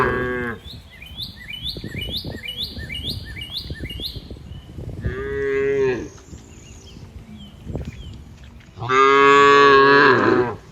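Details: Grazing cows in green fields moo three times: a short moo at the start, a fuller one midway and a loud, long, harmonically rich moo at the end. A run of quick, repeated, high-pitched chirps sounds early on.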